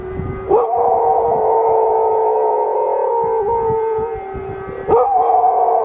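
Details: Pet dog howling along with a siren, as it does whenever the siren sounds; long sustained wailing tones held for several seconds, rising sharply at the start and again near the end, over a loud steady siren drone.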